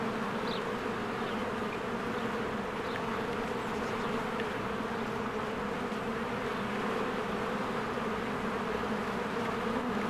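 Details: Spring beehive busy with swarms of bees flying in and out, giving a continuous thick hum that never drops, with a few brief, faint bird notes high above the drone.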